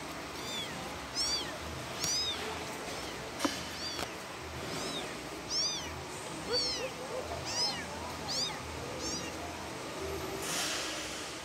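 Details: Young kitten calling for its mother, giving thin, high-pitched arching meows repeated roughly once a second, some in quick pairs, against faint hiss.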